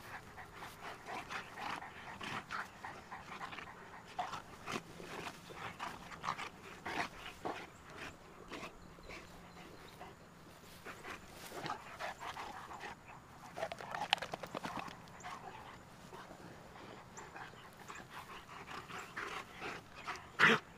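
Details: Playtime for two Cane Corso dogs, Tucker and Nessa, from Numenor Kennels: a long run of hurried, breathy panting with scattered louder thumps and scrapes, plus a sharp clatter near the end.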